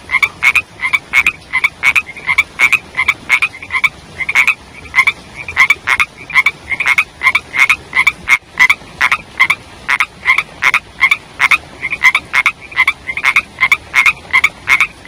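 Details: Rainy-season chorus of young frogs, a steady stream of sharp, crackling croaks with a rising chirp, repeated rapidly for the whole stretch, several animals alternating so the pulses come almost evenly spaced.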